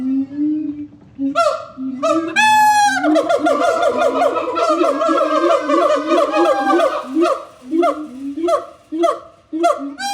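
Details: Siamang calling: loud, rhythmic series of harmonically rich hooting notes, with one long rising swoop early on, then barks and booming notes repeated about every half second, each with a sharp rising and falling inflection.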